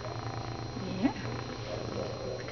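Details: A neutered male domestic cat that talks and purrs nonstop purrs with a steady low rumble, broken once by a brief rising chirp.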